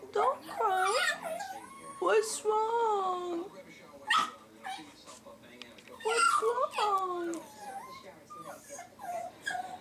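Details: A spoiled male Chihuahua crying for attention, not needing to pee, gives drawn-out, wavering whines that bend up and down, sounding much like a cat's meow. Chihuahua.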